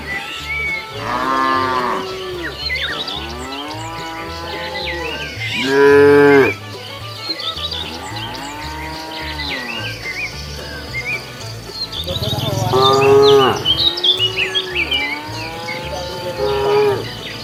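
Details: Several cows wander the road searching for food. Their moos overlap, some rising then falling like groans and others sharp and loud, repeated over many seconds, with bird chirps and a low droning background.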